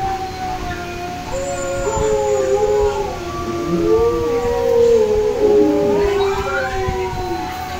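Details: Bullmastiff gives a drawn-out, sliding howl, its mournful tones rising and falling and overlapping as if from more than one voice, steady and loud throughout with no other clear sounds.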